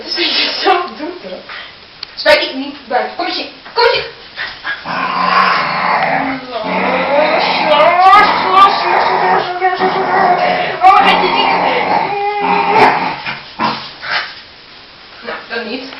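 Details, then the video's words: Pet dog vocalizing excitedly just before being taken out for a walk, a series of wavering, whiny yelps and whimpers rising and falling in pitch, mixed with ongoing Spanish talk from people in the room. "Mad dog makes weird sounds"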